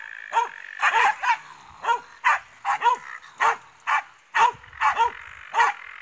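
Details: Finnish Spitz versus a raccoon dog: loud, shrill barks in an uneven rhythm, paired and single, each sharply bending in pitch, over a faint continuous whine.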